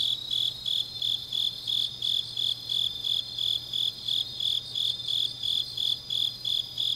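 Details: Deep autumn night chorus of grass insects in Changnyeong, South Gyeongsang, Korea; one bright, high pulsed trill repeats in even beats roughly every third of a second over a soft layered insect shimmer and faint low hum.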